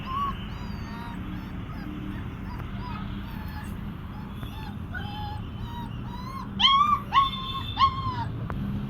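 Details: Puppies kept for sale at a dog dealer in India whimper and whine in thin, high, bending tones. The whines start soft and scattered, then three louder, drawn-out cries come close together near the end, over a steady background hum.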